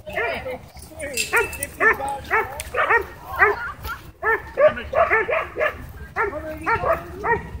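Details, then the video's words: Dogs worked into a frenzy by a drone overhead at a dog park, a dense run of rapid overlapping barks and yips with some breaks, several dogs calling over each other. "Drone Whips Dogs Into Wild Frenzy At Dog Park"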